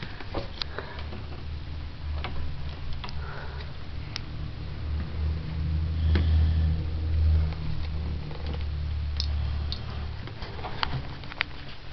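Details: A steady low indoor hum runs throughout, broken by scattered light ticks and taps, with no animal voice heard.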